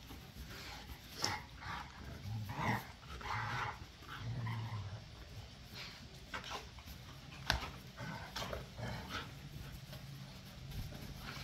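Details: Pit bulls and a Malinois in rough back-yard play, low sustained growling rumbling underneath, broken by sharp snaps and clatter, with occasional short vocal bursts over steady background noise.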